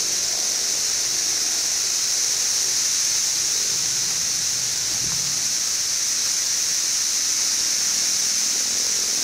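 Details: Seventeen-year cicadas of Brood XIV, Frankfort, central Kentucky, June 2008, two weeks past emergence in a hot, bright spell: an even, high-pitched droning wall of sound with a brief faint lower noise midway.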